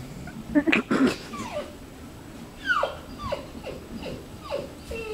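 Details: Labrador Retriever being clingy, letting out a couple of sharp yelping whines and then a run of high, downward-sliding whimpers spaced about half a second apart.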